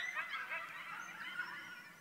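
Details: A coyote pack at night in November, close to a house about 40 feet away, hunting chickens: a distant chorus of overlapping yips and wavering howls, high and jumbled, not at full howl.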